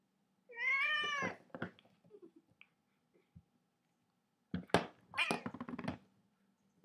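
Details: A house cat gives a drawn-out, slightly bending meow, then soft scattered knocks, followed by a burst of thumps and rustling as if something is being knocked about indoors.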